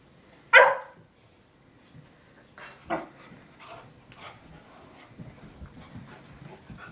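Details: A puppy barks at a kitten, wanting to play: one sharp high bark near the start, then softer scattered yips and rustling indoors, with a person speaking in the background.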